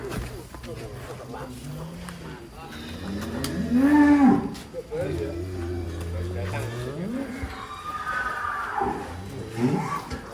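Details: Giant cattle, newly arrived and rampaging as it comes down from a truck, gives a deep moo that swells and rises in pitch for about a second midway, with lower lowing and voices around it.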